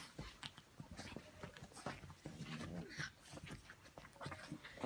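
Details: Indoor pyjama party with Brussels Griffon dogs Ivanka and Misha: quiet breathy panting and faint whimpering among rustles and taps in a small room.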